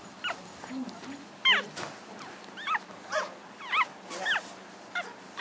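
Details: Seven-day-old puppies from Chelsea's litter make short, thin, wavering squeaks and whines, spaced irregularly about half a second to a second apart, with a soft low hum and faint rustling underneath.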